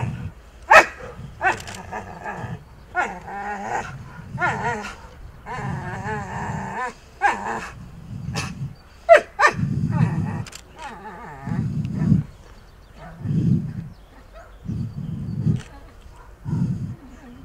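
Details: Akita Inu with aggressive, biting behaviour during a re-education session with a dog trainer, rated 6.5 of 10 for social risk. Deep throaty growls recur in bursts, with sharper barks between them and a man's voice giving commands.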